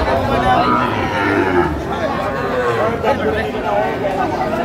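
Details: Sahiwal bulls being bought by a farmer in Tangail, Bangladesh, 9 May 2025; low, droning moos rise under a dense din of crowd chatter and voices.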